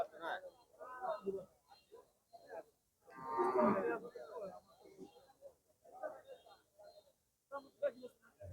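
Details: Cattle at a rural cattle and calf market in Lohai, Sreepur, Gazipur, Bangladesh; a single drawn-out, rich moo rises above the crowd mid-clip, with men's voices chattering before and after.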